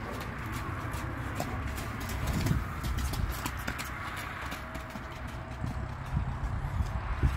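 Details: Arabian horse moving with faint, irregular hoof knocks over a heavy low rumble of background noise, the steps growing slightly louder around the middle and near the end.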